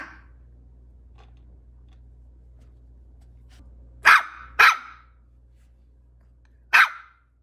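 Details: A Maltese puppy gives three sharp, high barks, two close together and one after a pause.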